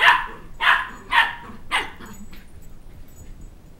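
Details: Sheltie puppy aged two months chasing a child around a coffee table for his stuffed toy dog head; four rapid high-pitched yaps in under two seconds, then quiet room noise.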